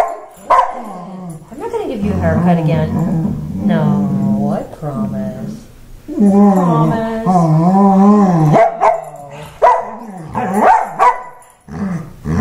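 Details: Wheaten Terrier, a male pet dog, voicing anger in a tantrum after a haircut: long wavering, moaning howl-like grumbles that rise and fall in pitch, in several drawn-out bursts, with sharp yips near the end.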